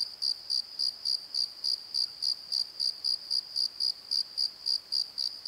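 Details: Night cricket chorus in a valley bottom: high, clean chirps pulsing steadily about three to four times a second, each short and even, with little else heard.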